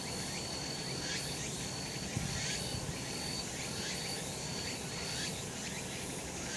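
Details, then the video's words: Sunlit summer mountainside with cicadas buzzing: a thick, even insect hiss with pulsing beats, a thin steady high whine running through it, and one faint knock partway along. "セミの鳴き声 夏の山 日なた"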